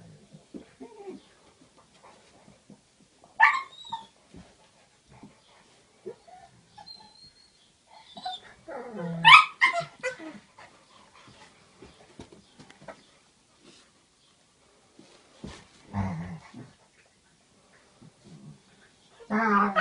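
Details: Dogs at home squabbling after one stole a bone and then heckled the other: scattered low growls, short yips and a few sharp barks spread over twenty seconds with quiet gaps.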